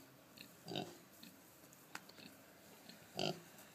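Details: Pregnant Kunekune sow, who plopped down for a jowl rub, lets out two brief muffled grunts spaced about two and a half seconds apart. There is quiet rustling and a faint click between them.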